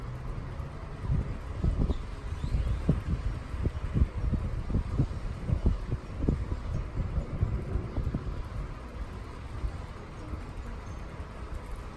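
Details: Low rumbling wind and rustling handling noise with soft thumps throughout, and no animal voice heard.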